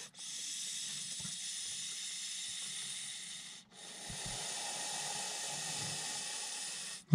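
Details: Montpellier snake (Malpolon monspessulanus), nervous and reacting defensively to a threat as it is approached. It gives long, steady, airy hisses, broken by short pauses near the start and around midway, with faint low rumble beneath.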